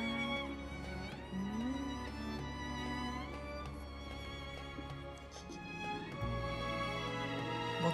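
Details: Violins and other bowed strings carry a slow, mournful tune over a steady low drone. No animal voice can be picked out beneath the music.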